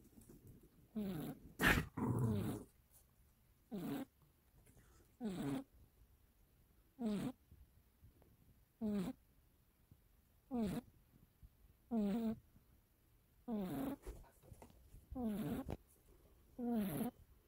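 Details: A young, mischievous household cat snoring while sleeping: steady rhythmic rasping snores, each a short rattling breath with downward-sliding tones, repeating about every 1.7 seconds over near-silence, one louder rustle early on.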